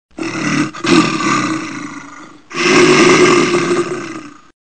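A bear gives two long, rough, throaty roars, each lasting about two seconds.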